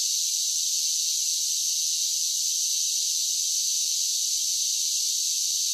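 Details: Summer cicada chorus forming one continuous hissing drone, high and even, without pauses, pulses or any other sound underneath.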